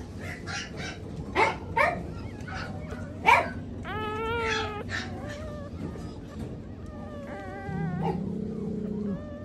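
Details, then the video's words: Newborn light apricot poodle puppies, tiny and very young, give high thin whines and squeaks with clear harmonic, slightly wavering tones, several short yelps early then longer drawn cries, over a steady low background hum. "Tiny newborn light apricot poodles"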